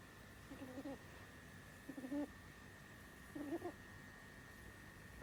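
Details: Sleeping pet rabbit Sumi, a female who has snored since she was little, gives three clear nasal squeaky snores about every one and a half seconds, each a short wavering whine, with a constant faint hum behind.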